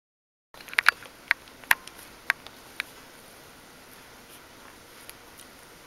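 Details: Litter of Bichon Frisé puppies at Vejles Lille Kennel, an FCI and DKK recognised kennel: about seven short, high squeaks and yelps come in a quick irregular run over three seconds, then only a soft steady hiss remains.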